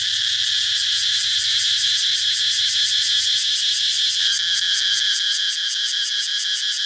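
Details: Loud, shrill cicada buzzing with clear rhythmic throbbing, about three pulses per second, throughout. The tone shifts slightly partway through, over a faint low hum that fades out.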